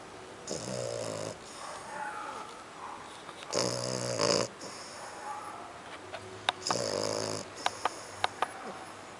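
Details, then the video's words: Kiko, a dog linked to French Bulldog and Pug, snoring: three loud, rasping snore bursts with layered buzzy harmonics, each about a second long, separated by quiet breathing gaps, with a few faint clicks near the end. "kiko roncando"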